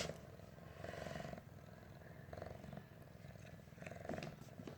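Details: Water-loving adopted stray cat Pinggu at play in the bathroom, 100 days after being taken in from a garden plot: low, continuous purring rumble swelling and easing in short waves, with soft scattered noises over it.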